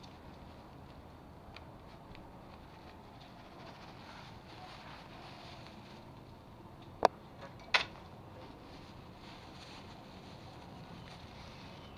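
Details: Quiet indoor room hum with faint rustling and two sharp clicks around the middle, and no animal voice.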